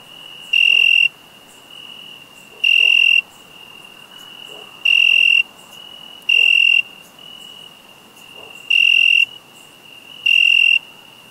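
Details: Cricket chirping in loud, piercing, high-pitched bursts lasting about half a second, six bursts at slightly uneven intervals of around two seconds, over a steady faint high tone and soft background noise.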